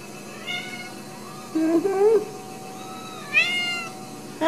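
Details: Ragdoll kittens at a home cattery in central Kansas, raised without cages; several short meows, a wavering rising one around two seconds in and a bright one near three and a half seconds, with a person speaking softly nearby.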